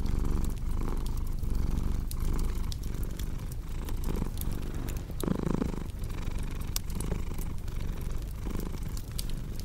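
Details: Cat's continuous low purr, a throaty rumble rising and falling in breath-length pulses, mixed with frequent bright crackles from a fireplace, with one brief fuller swell midway.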